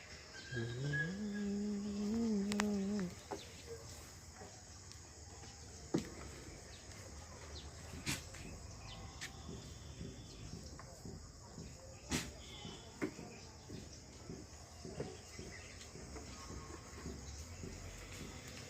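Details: Haryana breeding buck goat bleating: one drawn-out, wavering nasal call lasting about two seconds near the start, followed by clicks, knocks and light background noise.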